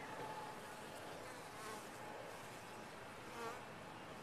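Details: Even, grainy drone of a bee colony in a top-bar hive, with a constant low hum and a brief faint tone near the end.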